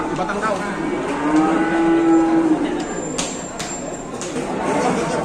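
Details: Large cattle during unloading in Indonesia: one long, steady lowing moo lasting over a second dominates the middle, then fades into murmuring voices, music and sharp knocks.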